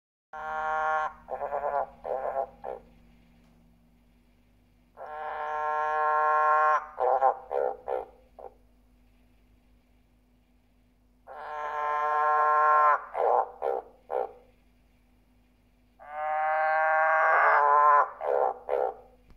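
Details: A male green and golden bell frog (Ranoidea aurea) calls with a long, rasping growl followed by several short grunting croaks.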